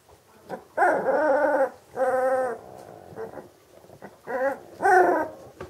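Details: Magyar Vizsla, bred as a hunting dog from working lines, making loud, steady harmonic whining cries, two long ones early then two shorter, more strained bursts near the end.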